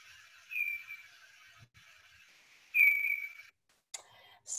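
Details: Hoary bat echolocation calls at about 20 kHz, lower in pitch than little brown and big brown bats, recorded in the wild at night; lowered for human ears, they sound like thin whistled tones that sweep slightly downward.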